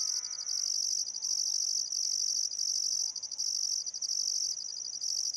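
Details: Summer sunset chorus of crickets along the Barcoo River, Welford National Park, Queensland Outback, Australia: an unbroken shrill ringing trill with short pauses, a faint layered bird note at the start and soft birdcalls beneath.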